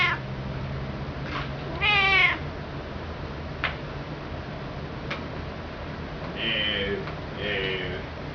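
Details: Indoor pet cat perched on the back of a sofa, yakking at her owners: one strong wavering meow early on, then two softer, shorter, nasal meows close together near the end, with a faint low hum behind.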